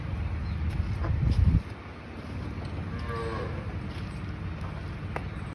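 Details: Sahiwal or desi cow on a Haryana dairy farm of over 200 cattle, giving a short deep low moo for about half a second, followed by steady farm background noise and faint clatter.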